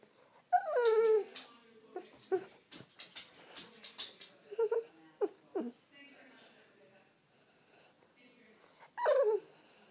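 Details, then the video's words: French Bulldog making wake-up whines to rouse its owner: a long descending whine opens, followed by clicks, snuffles and short yelps, then a final falling whine near the end; faint speech-like sounds mixed in. "French bulldog wake up call"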